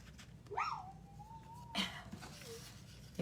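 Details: Female puppy whining, upset at being left outside the room: one long, thin, steady tonal whine rising slightly, then a short faint whimper, with room noise and clatter.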